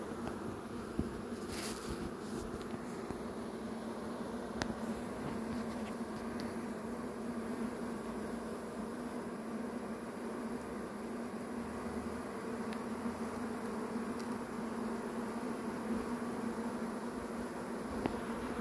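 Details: Massed honey bees in a swarm hum steadily and low throughout. Scattered clicks and taps sound over the drone.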